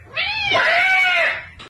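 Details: Domestic cat giving one long, loud, wavering caterwaul indoors, a rich harmonic wail holding steady for over a second before breaking off abruptly.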